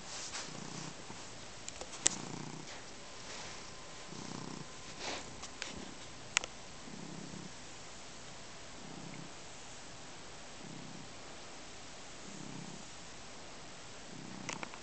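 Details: Indoor cat kneading a blanket and drooling while it purrs; steady low purr pulses rise and fall with each breath, roughly every one and a half seconds, with occasional sharp ticks and rustles.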